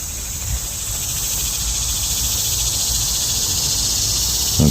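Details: An annual cicada, among many loud cicadas at a lakeside campsite on a hot August day, gives a steady, high, shimmering buzz throughout, with a man speaking in the background.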